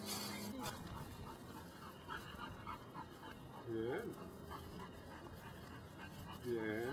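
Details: Belgian Malinois named Brujo, des Champs kennel, Mexico, doing control work in personal protection training; a few short, rising barks heard around midway and at the end, under a man's steady Spanish commands and praise, with panting and outdoor noise.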